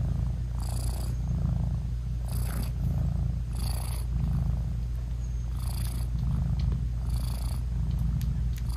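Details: Nursing British Shorthair mother cat purring to her newborn kittens, an unbroken low rumble under repeated short bursts of soft rustling roughly every one to two seconds.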